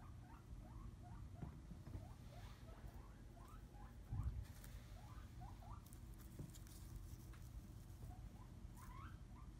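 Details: Female skinny pig kept as a pet, snuggling down in her fleece bed, making a soft run of short rising squeaky notes, about two each second, over a low steady background hum.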